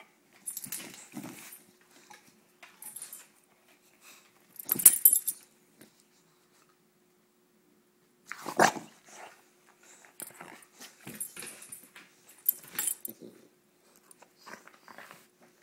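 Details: Indoors during teasing play, female bulldog Roxy gives rough growl-barks in irregular bursts, a loud one near the start, a strong burst around the middle, then a cluster of shorter grumbles; the room is otherwise quiet.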